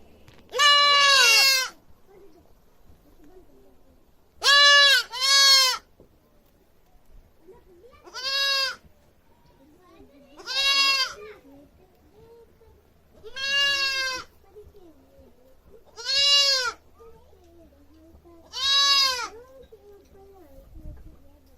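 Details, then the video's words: Goat screaming loudly in a repeated series: eight loud, harsh bleats, each about a second long, some paired, spaced two to three seconds apart over quiet background. "Goat sound baa baa baa || goat sound effects || Goat screaming loudly"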